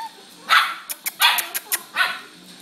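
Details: Pit bull and Lhasa Apso, two pet dogs, barking while playing together indoors: three sharp, broadband barks about three-quarters of a second apart, with soft clicks and taps between them.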